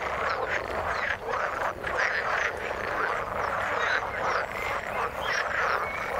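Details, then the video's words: Waterborne frog chorus, continuous and crowded, made of quick buzzy croaks layered over one another at an even loudness, with short higher chirps scattered through it. "Frog sound in the water"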